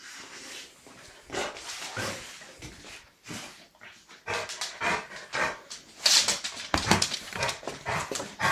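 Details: Guard dog barking in a rough, irregular series of harsh bursts, some clustered close together and others spaced out, loudest toward the end, with broadband noise between barks.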